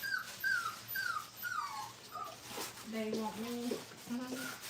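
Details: Five-week-old Brittany puppies being crate trained indoors give thin, high whimpers that slide downward, repeated about every half second. A low human voice then talks over quieter whines.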